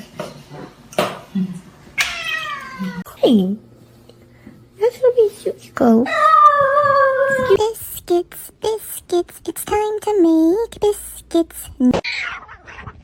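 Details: Domestic cat giving several drawn-out, harmonic meows that bend up and down in pitch, spaced a few seconds apart, mixed with clicks, knocks and speech-like voices indoors.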